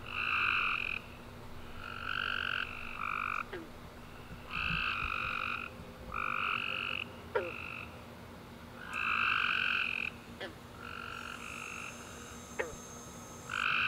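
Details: Chorus of tree frogs at night following a warm rainy summer day: steady run of short nasal trilled calls from several frogs, one after another, with scattered clicks and a faint high hiss late on.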